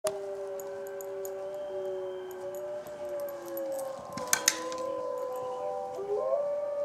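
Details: Izzie, a dog, howling in answer to wolves: long sustained tones that hold steady and slide down, several voices overlapping in a chorus, with a brief rough burst midway and a faint rising note at the end.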